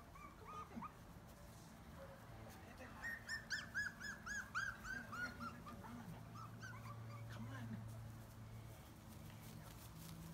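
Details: Rescued chihuahua-mix puppies, one of a litter of six available for adoption in March 2017, give a rapid run of high, squeaky whimpering yelps through the middle seconds, over a low steady hum.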